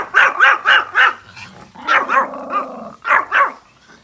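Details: ['Pomeranian dogs outdoors barking at deer: a rapid burst of four shrill yaps, then a drawn-out whining bark and two more quick yaps.']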